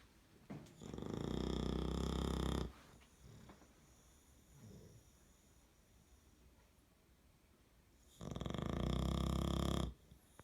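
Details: English Bulldog named Big Mac snores heavily while napping on a bed, each breath a deep, rattling rumble of a couple of seconds, with long quiet pauses of soft breathing between loud snorts.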